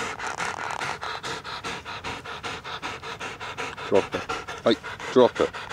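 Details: Rapid, even panting from Bella, a female pet dog, with a regular train of breathy huffs; near the end a few short voiced, whiny sounds break in over the breathing.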